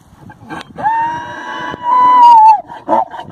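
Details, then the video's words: A male mule braying with an unusually high voice, likened to a peacock rather than a deep donkey: a long, steady, clear whistled note held for nearly two seconds, swelling louder before breaking off, with a few short rough sounds around it. "Xato the mule braying"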